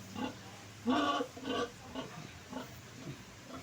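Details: Domestic pig, a sow being bathed after her piglets were weaned, gives short harmonic grunts and squeals in irregular bursts, the loudest near the one-second mark, with a person talking in the background.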